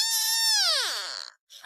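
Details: Pet cat, just fed with milk still on its mouth, giving one long meow that holds steady and then slides downward in pitch, with a short voice fragment after it.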